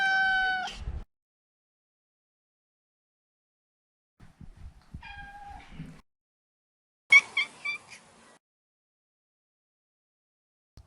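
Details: Maine Coon tomcat, neutered, giving a brief bright meow, then a faint short mew among soft thumps, and a scratchy chirping call near the end of the quiet stretch.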